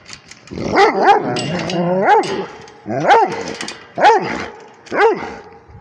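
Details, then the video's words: Rhodesian Ridgeback barking at a tablet indoors: a series of loud harmonic barks and arched yowling howls, roughly one every second, some drawn out with wavering pitch. "Rhodesian ridgeback barking at the tablet"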